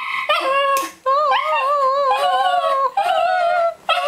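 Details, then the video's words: A Cairn Terrier sings to get his ball thrown: wavering, tonal howls with sliding pitch. Three sustained phrases are broken by short gaps, and brief human voices can be heard before them. "The Singing Cairn Terrier"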